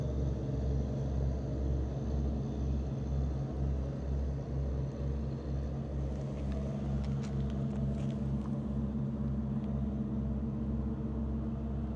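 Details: A motorcycle engine idles with a steady pulsing rumble, joined by some brief rustling noises midway and no animal voice.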